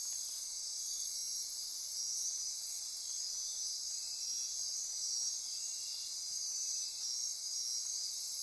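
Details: Nighttime chorus of insects pulsing and trilling in lush Osa Peninsula forest near Corcovado National Park, Costa Rica; a constant bright buzzing band with sustained whistle-like notes and faint brief clicks punctuating the steady hum.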